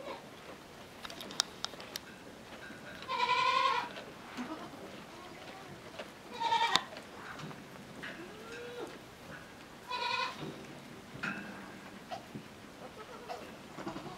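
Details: Petite Pelotte, a miniature goat kid born small and adopted late by her mother, bleats while trailing along to nurse. Three short, high, nasal bleats come roughly three to four seconds apart, mixed with footsteps, clicks and light handling noise.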